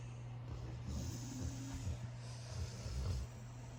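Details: Loud snoring from a puppy asleep in a pile with his brothers: a rhythmic run of low, rough snorts and soft breaths over a steady low hum.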